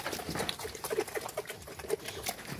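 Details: Quezon black piglets, a group of 30 native pigs, being fed after deworming: short, mid-pitched grunts at irregular intervals over a dense clatter of feeding and movement noise.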